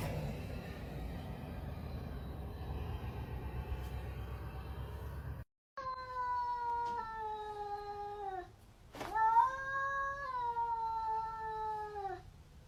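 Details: Cat confronting a rival cat: after a stretch of low room noise, a series of strained, slightly falling yowls with strong harmonics, broken by a sharp click, continuing at moderate volume.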